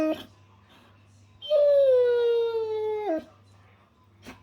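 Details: A German Shepherd makes a funny noise during playtime, a single drawn-out, tonal howl that slides gently lower and ends in a quick drop.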